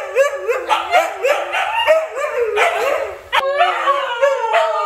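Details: Group howling from Siberian Huskies Luna, Gizmo, Arya and puppies: short swooping howls and yips repeated about every second or two, with an abrupt cut near the end before the wavering chorus resumes.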